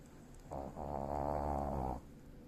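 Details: Nii-chan, a senior Shih Tzu, snoring while asleep indoors: a single drawn-out, buzzy, low rasping snore lasting about one and a half seconds with a steady harmonic drone, then quiet breathing.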